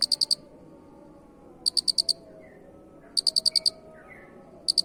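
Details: Shrill cricket pulse bursts used to tutor songbirds, each of four to six rapid ticks, repeating roughly every 1.5 seconds, accompanied by faint short whistled notes and soft background hum.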